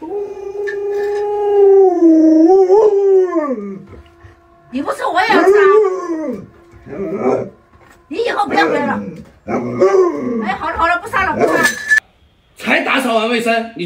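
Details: Luoluo, a pet Alaskan Malamute playing hide and seek with its owner indoors, holds a long wavering howl for about four seconds, then gives several shorter rising-and-falling yowls separated by brief pauses.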